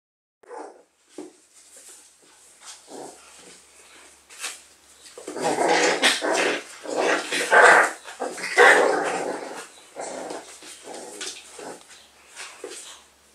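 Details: Four-week-old Whippet puppies making short whimpers and yelps, scattered at first and then denser and louder in the middle, with brief barks mixed in among the busy litter sounds.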